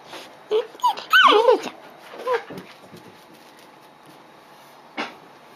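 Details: Female Dobermann puppy, 55 days old and two days in a new home, crying after waking on a July morning at 10:15: a few short whimpers, then a wavering high yelping cry, a later yelp, with room noise and background talk.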